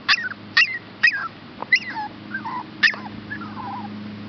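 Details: Two rescue pups up for adoption, Olive and Max, a Chihuahua and a Shepherd hound, giving sharp rising then falling whines in quick bursts, some drawn-out wavering cries, with a constant low background hum.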